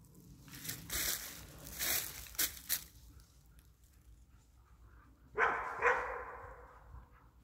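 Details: German Wirehaired Pointer on a wild boar hunt; scattered rustling and snapping through vegetation, then one loud harsh bark with a quick second burst, fading back into faint movement noise.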